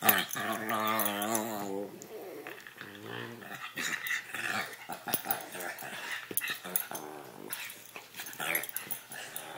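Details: Puppies Chewy and Sarge wrestle in play inside a small room, giving a long harmonic whining growl at the start, then shorter rough growls and grumbles in quick irregular bursts over scuffling noise.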